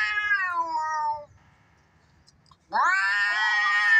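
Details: Domestic cats fighting, played to provoke pet cats; a falling drawn yowl, a silent pause of about a second and a half, then a sudden loud rising wail.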